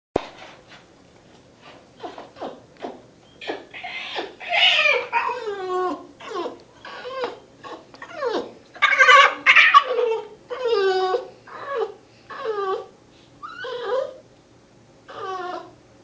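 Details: Kiba, a 3-month-old Shiba Inu puppy recovering after a Tylenol overdose and ER visit, gives a string of squeaky, yodelling whines and growly yelps.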